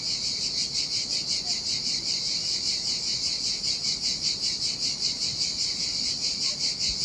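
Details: Singing cicadas on a lonely Sardinian beach in summer heat: unbroken piercing buzz, gently pulsating several times a second, carried above a quiet low murmur of breaking waves.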